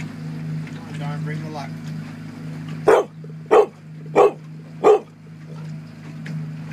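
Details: Dog on a boat at the 2013 Port Alberni salmon derby, barking to drive a sea lion away from a Coho: four loud evenly spaced barks over two seconds above a constant low motor drone, with brief speech before.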